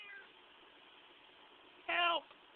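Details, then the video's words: House cat giving one loud, harmonic-rich meow while squeezed, a brief arched cry near the end after a faint earlier call, with low room noise. "Qitah makes noises when you squeeze him."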